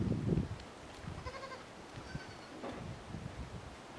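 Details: Miniature goats, an affectionate buck playing with his kids, give two short harmonic bleats in the middle of the clip, after a burst of low handling noise at the start.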